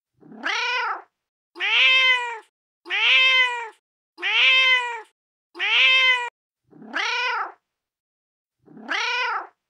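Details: Repeated meowing of a female cat in heat calling for a mate: seven arched, harmonic cries under a second each, fairly evenly spaced about every 1.2 seconds, the middle ones louder and brighter.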